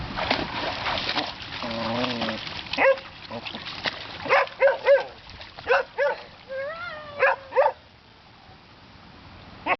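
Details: Puppy playing in her pool, giving a series of short sharp barks and yips with rising whining tones between them, while a woman speaks encouragingly over splashing water at the start.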